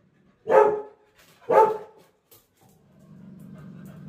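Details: Lily the Labrador Retriever, whose apple has fallen down, gives two strong barks a second apart, a tiny yip, then a soft low whine that swells steadily toward the end.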